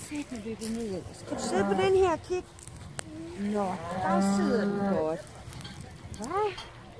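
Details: Hereford cattle, 11 cows with calves shipped from Tåsinge to Skarø, Denmark, on 13 April 2016 to graze all summer: overlapping moos, some rising and bending, with a sharp knock midway.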